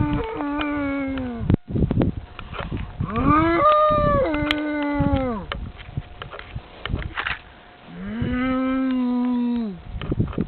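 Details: Cow in France answering a person who calls to it: long, deep, steady moos with strong harmonics, one from the start to about 1.5 s, another rising and falling near 3–5.5 s, and a third from 8 to 10 s; short noises between.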